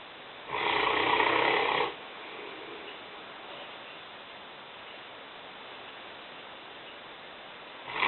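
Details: Lena, a five-year-old, 150-pound female Newfoundland dog, asleep and snoring in the kitchen: one long, rasping, broadband snore of over a second, then quiet room hiss, with the next snore beginning at the very end.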